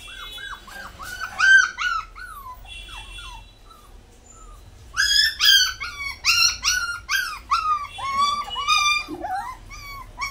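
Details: Puppy crying in high, whining notes that arch up and fall near the same pitch, given in bursts of several cries with a quiet gap midway, then a rapid, continuous run of whimpers.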